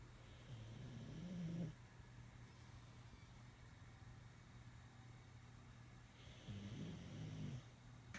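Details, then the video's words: Bennie the pug, asleep, snoring indoors: two low rumbling snores, each just over a second long and about five seconds apart, with a nasal, slightly whistling edge. A steady low hum runs underneath throughout. "Bennie The Pug sleeping and snoring"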